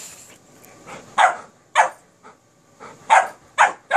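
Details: Kerry Blue Terrier puppy playing with an Airedale Terrier, giving short sharp barks and yips in irregular bursts, about six loud yaps spaced roughly half a second apart.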